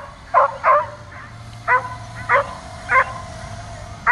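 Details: Dog hating a drone flying around above it, barking and jumping: six loud, clipped barks in about four seconds, unevenly spaced, with the drone's steady whine beneath.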